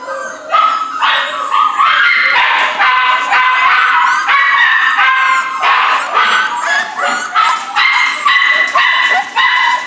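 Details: Rescue puppies, a Corgi Airedale mix, giving a busy run of high, short yips and squeaky whines, roughly two per second, several voices overlapping with bright harmonic tones.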